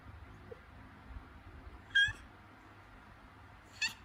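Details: Domestic cat in labour, calling during contractions before giving birth; two short, strained high meows about two seconds apart over a quiet indoor background.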